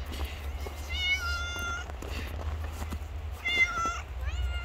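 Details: Homeless street cats, hungry after a snowfall, give two long, clear, tonal meows about two and a half seconds apart, with a shorter rising mew at the end, over low background rumble.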